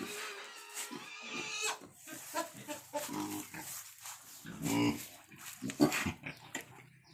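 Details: Newborn wild boar piglets nursing, the sow having just given birth, umbilical cord still attached: scratchy, broadband squeals and grunts in irregular clusters, with a faint voice and rustling in the background.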